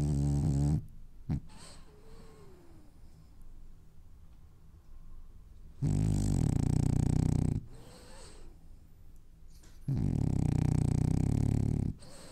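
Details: Sleeping French Bulldog dreaming indoors, snoring in long, deep, rattling rumbles of about two seconds each, one short snore at the start, then two full snores separated by quiet breathing pauses.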